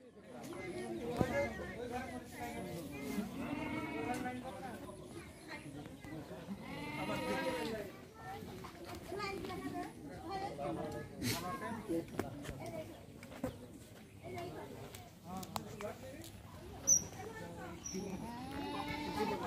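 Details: Indian Beetal goats kept for raising on a farm give wavering, quavering bleats, one near the start and a longer one about seven seconds in, with several people talking over them throughout.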